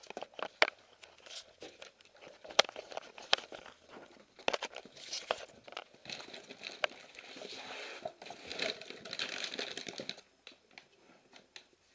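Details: Crinkling, tearing and crunching paper in a small indoor room comes in irregular bursts, then goes quiet near the end.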